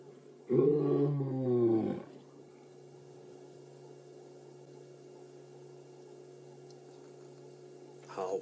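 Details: A male lion on an afternoon drive at Djuma Game Reserve on 17 December 2016 gives one deep, moaning call, between a roar and a contact call, perhaps to reach his brothers, falling in pitch over 1.5 seconds; a low hum follows.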